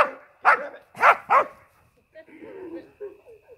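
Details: Border Collie barking while chasing a playmate who hides in a hedge: three sharp barks in quick succession, then softer, quieter vocal sounds.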